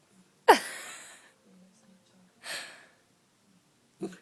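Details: Bhalu, an 11-week-old Samoyed puppy, hiccuping: three sharp, abrupt jolts spaced about two seconds apart. Each has a breathy, noisy tail that fades over a fraction of a second, with quiet gaps between them.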